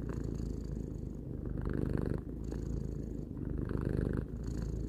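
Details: Domestic cat, three years old, purring steadily indoors: a low, rumbling, continuous buzz, swelling and easing with each breath roughly every second or so, with faint breathy rasps between cycles.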